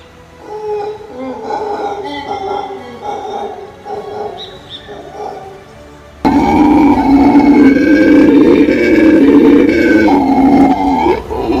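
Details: Black howler monkeys (Alouatta caraya) let out a deep, hoarse, roaring howl that swells suddenly after soft music; the call is described as one of the loudest of land animals, audible up to about 4.8 km.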